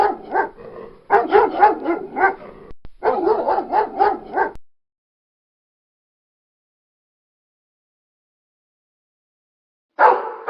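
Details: Pit bull among other dogs, giving fast, rough barks in two tight runs over about four seconds, then a long silence before a single bark burst returns at the end.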